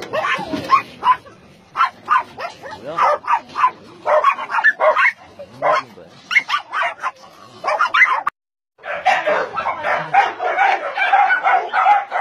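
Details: Dogs held at a meat farm and puppy mill in Nonsan, South Korea, where about 150 dogs of breeds including Doberman, Shar-Pei, Chow Chow and Golden Retriever are kept; rapid, sharp barks in quick bursts from several animals, a short pause, then a thicker chorus.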